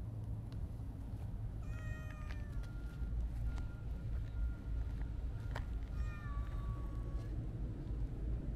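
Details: Siamese mix cat meowing twice: a short clear meow near two seconds, then a longer, smoothly falling meow around six seconds, with constant low-pitched background rumble throughout.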